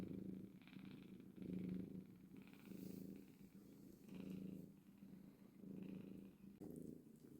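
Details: Mother cat with kittens purring, a low rhythmic rumble rising and falling with each breath roughly every one and a half seconds, with soft rustles and a small click near the end.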